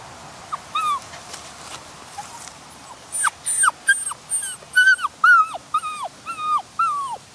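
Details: Male Doberman Pinscher puppy of champion European bloodlines whimpering: high, thin whines that bend sharply downward, starting sparse and soft, then coming about every half second and growing louder and more insistent toward the end.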